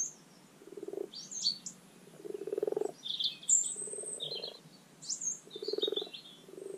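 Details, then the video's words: Common frogs croaking at a garden wildlife pond during spring spawning, Rana temporaria: low purring croaks roughly every second, mixed with bright, sharp bird chirps and twittering notes that are just as prominent. "The Spring Spawning Call of the Common Pond Frog Rana temporaria"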